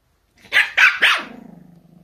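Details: Pomeranian dog over socks: three sharp, high yapping barks in quick succession, then a low, buzzing, pulsed growl that trails off for nearly a second.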